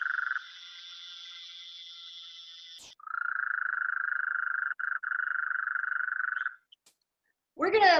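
A Gulf Coast toad gives a long, steady, medium-pitched trill after a higher nasal buzz from another toad.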